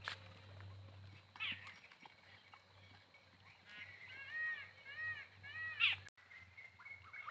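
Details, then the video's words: Goats, possibly of the Jakhrana breed, give a series of wavering, quavering bleats clustered in the middle of the recording, rising and falling in pitch, over a steady low hum with a sharp click near the end. "goats sounds video"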